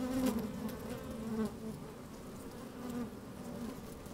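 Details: Inside an open beehive on a sunny day, honey bees moving about: a dense humming drone, a loud rising buzz in the first second and a half, then a softer steady hum with another brief swell at three seconds.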